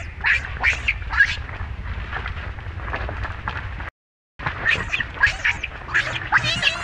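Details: Harsh, squealing cries from a monkey group as mother Libby mistreats baby Rainbow. Rising-falling calls come in bursts, pause briefly, then resume in quick succession, with low noise beneath.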